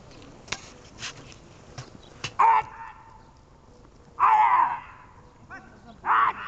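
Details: Dog named Archik during a training session dated 1 July 2018, giving three loud, harsh barks spaced roughly two seconds apart, with some clicks and faint background noise between them.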